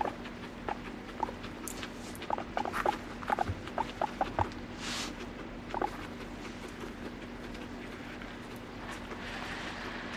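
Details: Guinea pig kept as a pet, uttering a series of short, clipped chirps spaced roughly half a second apart. Rustling, soft knocks and a low background hum surround the calls.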